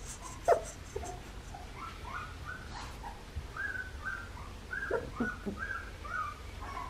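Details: Red tri female Australian Shepherd puppy, three and a half weeks old and just starting to toddle, from Raven and Jackson at Fifteen Acre Farms in Oklahoma, giving a string of short, high, rising whimpers, roughly a dozen in quick succession over a low indoor hum.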